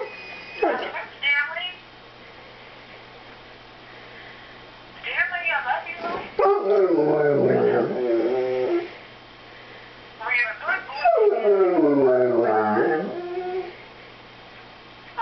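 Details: Male Airedale terrier howling and 'talking' to his owner over the phone: two long wavering, moaning howls that bend up and down in pitch, with short human speech bursts between them.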